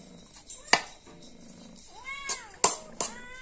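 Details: Hungry cat asking for food gives a single arched meow and a shorter second one between loud knocks and clatter indoors.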